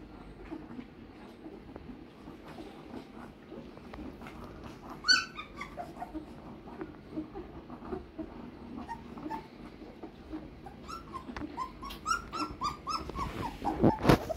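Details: A litter of 15-day-old German Shepherd puppies whimpering and squeaking. Soft, overlapping squeals run throughout, with a sharper burst of high whines near five seconds. Louder, rising yelps crowd the final few seconds over a faint background hum.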